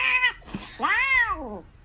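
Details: Domestic cat indoors giving a short flat meow, then a longer, louder meow that rises and falls in pitch, with a faint quiet room background.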